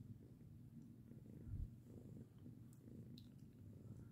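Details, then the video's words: Domestic cat named Lirael purring while being patted indoors; a low, steady rumbling purr with soft pulsing, a brief louder thump in the middle, faint clicks above. "Purr and hiss! Lirael loves a pat but only until she doesn't!"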